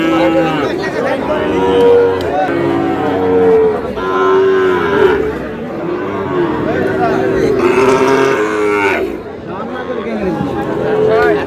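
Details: Sahiwal bull calves and cattle at a busy cattle market, 24 April, where a Noakhali farmer is buying; several overlapping drawn-out, wavering moos rise and fall in pitch across the clip, with crowd chatter and bargaining voices behind.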